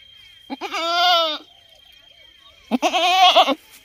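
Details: Goat bleating twice, each a loud wavering nasal bleat under a second long with rich harmonics, separated by a pause of over a second; a faint steady high tone runs throughout.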